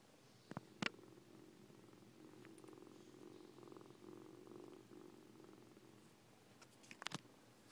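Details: Purring from Siamese foster kittens Coco and Lache: a continuous low rumble that pulses gently throughout, framed by brief clicks and knocks at the beginning and end, in a quiet indoor room.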